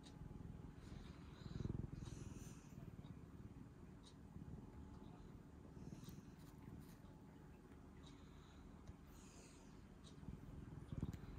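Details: Rescued pet cat in a Japanese home, April 2022, purring: a steady, low, rapidly pulsing rumble throughout, swelling briefly near the start and end, with faint higher clicks and rustles.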